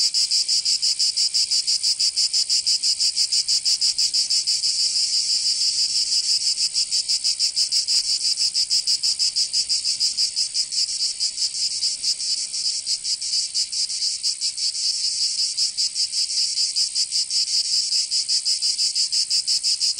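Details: Provence cicadas in the southern French summer keep up a long, relentless high buzzing drone, pulsing rapidly and evenly for the full stretch without pause or other sounds.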